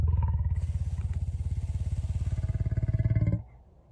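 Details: Lion. A lion's purr comes as a deep, rattling rumble, made of quick low pulses repeated evenly. It holds steady for just over three seconds, then breaks off into quiet.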